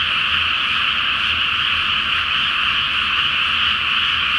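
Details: Great frog chorus on a moonlit night in a flooded rice paddy before planting season; overlapping croaks form a continuous, buzzing, evenly loud wall of sound.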